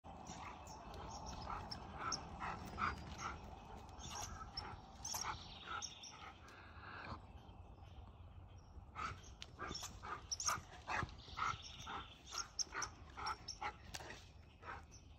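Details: Eddie, a Siberian Husky in Ontario, on squirrel patrol outdoors, circling a tree with a red squirrel; short, bright yips and whiny cries come in quick irregular bursts, roughly two per second, with a pause midway and faint background noise.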